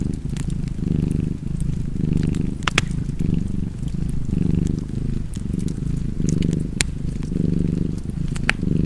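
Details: Cozy cat purr, deep and continuous, pulsing in slow alternating breaths, overlaid with bright snaps and crackles of a burning fireplace.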